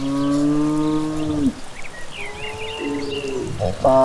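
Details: Cattle returning home from evening grazing in a rural village, one long steady low moo of about one and a half seconds, then a quieter second moo and a rising bleat-like call, with faint birdsong.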